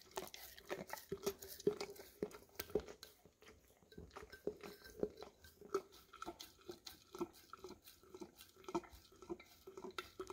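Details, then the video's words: Pet English cream Golden Retriever indoors licking the last peanut butter from a jar, captured with a Samsung Galaxy S10e; sticky tongue smacks repeating close to twice a second, uneven in spacing, with a brief lull midway and low room noise. "Dog Licking Peanut Butter Out of Almost Empty Jar - Golden Retriever"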